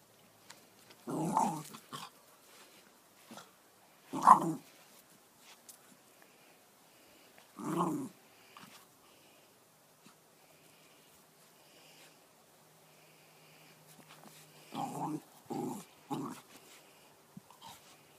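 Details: A pet dog playing with a ball gives short growling, barking bursts: one near the start, another around four seconds, a third near eight, then a quick cluster of three toward the end, with quiet gaps between.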